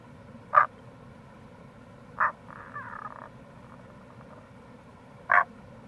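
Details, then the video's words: Tago's brown frog (Rana tagoi), Kamo River gorge, Itoshima, Fukuoka, Japan, in April: three loud short grunting croaks spaced about two and three seconds apart, with a longer softer murmuring call after the second, over steady low background noise. "Wild Frog Call | タゴガエル"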